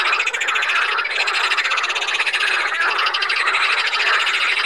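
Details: Water frogs (Pelophylax) at Saint Orens de Gameville in a dense, continuous chorus. Many overlapping rasping, pulsed croaks blend into a loud, steady rattle with no pauses.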